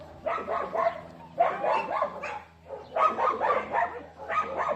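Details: Dogs barking in quick clustered bursts, about four per second, sharp mid-pitched barks grouped into runs with short gaps, over a steady low hum.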